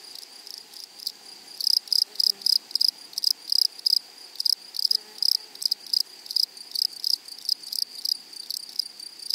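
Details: Grasshoppers calling in a flowery meadow, producing loud bursts of rapid buzzy pulses in irregular trains, with short quieter gaps between bursts and faint low sounds in the background.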